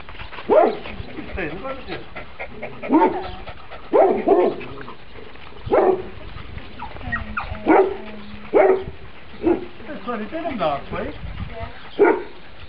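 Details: Cami, a female Labrador cross foster pup born around January 2008, found dumped in a feed sack outside a gate with two other pups, gives short sharp barks at irregular intervals, with human voices in the background.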